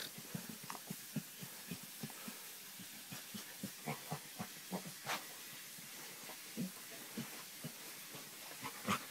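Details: Chocolate Labrador Retriever being scratched on the back gives a steady run of low snorting grunts, roughly two per second, mixed with airy hissing breaths and one sharper whine near the end.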